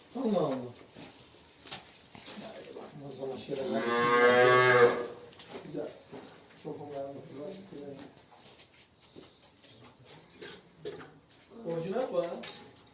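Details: Simmental cow on a farm during a heat and insemination process with a vet; people talk at length around one loud, drawn-out moo lasting about a second and a half in the middle.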